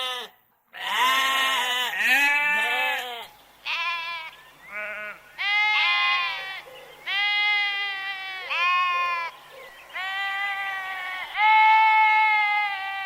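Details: Sheep bleating in a string of wavering, nasal cries, some long and quavering, others short, with brief pauses between them; a sharp burst of noise near the start.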